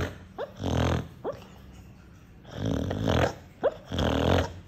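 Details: Loud snores from a sleeping dog, compared to an electric drill: two long rasping, buzzing snore blasts, each preceded by a quick upward whistled squeak on the inhale, indoors.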